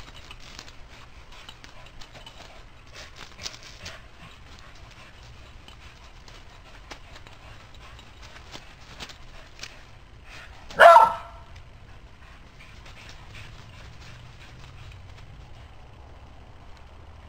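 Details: An old Border Collie cross being teased by a squirrel gives one sharp, loud bark partway through; the rest is quiet, with soft scattered clicks and a low outdoor rumble.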